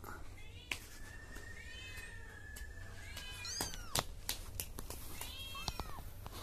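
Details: Baby cats in a funny pet compilation: a few short, high, arching mews cluster near the end, over a long steady whistle-like tone, sharp clicks and knocks, and faint room noise.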